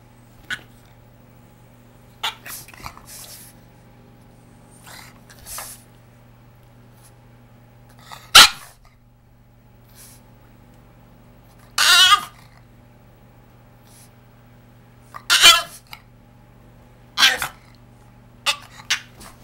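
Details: A male Boston Terrier throws a fit over his new bed, giving sharp, scattered barks and short grumbling yaps at irregular intervals, as if screaming at his owner.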